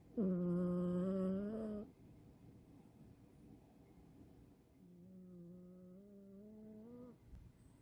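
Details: Sleeping male Scottish Fold cat named Chirol gives old-man-like snores: one loud humming snore of nearly two seconds, a quiet pause, then a softer, slightly rising droning snore.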